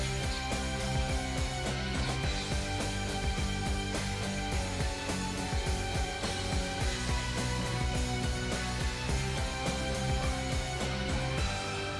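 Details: Steady rock-style music with guitar and drums plays continuously, with no barking or other animal sound heard.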